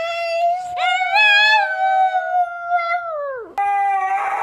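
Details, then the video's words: Dog 'talking' back to its humans in a humorous household clip: a sustained, sliding howl-like whine that wavers, drops sharply near the end, then resumes on a steadier tone. "Funny Dogs Talking and Arguing With Their Humans"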